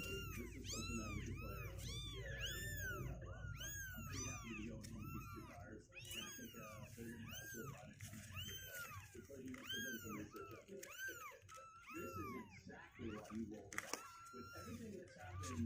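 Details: A litter of two-week-old kittens, sixteen days old and climbing out of their box, mews almost nonstop: many high, bowed cries overlap in quick succession, with a steady low background hum.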